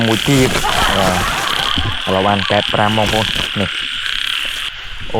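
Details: Frogs calling in Cambodia at the first rain of the year while being collected: fast, rasping croak pulses in short bursts, fading out near the end, with a steady insect hum behind.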